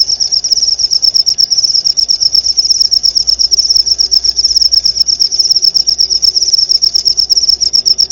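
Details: Clear cricket chirping used as masteran song material for white-rumped shama training: a steady, shrill, fast-pulsing trill holding one high pitch from start to end, uninterrupted and alone.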